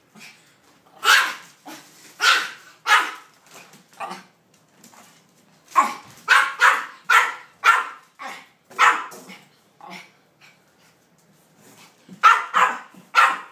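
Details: Maltese Peyton Manning, in a bad mood over a cardboard cutout of two dogs, barks in uneven bursts of sharp yaps separated by quiet stretches, with faint lower sounds between bursts.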